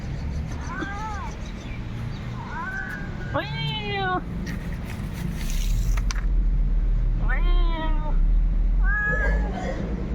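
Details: Cat answering a person who imitates its voice and then coming closer; five short, bent meows with a rising-falling pitch, spaced irregularly over ten seconds, over steady low background rumble.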